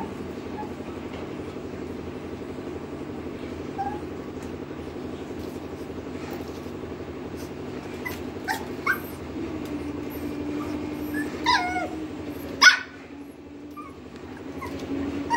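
A Lhasa Apso gives a few sharp barks and a thin whine over a steady low hum.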